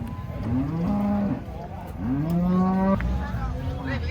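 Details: Cattle unloading from a truck at a market, giving two long low moos, each rising then holding a steady tone for about a second, with faint crowd and engine rumble beneath.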